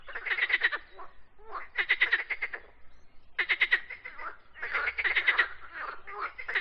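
A frog gives bursts of rapid, raspy pulsed croaks, each lasting under a second and repeated in quick succession.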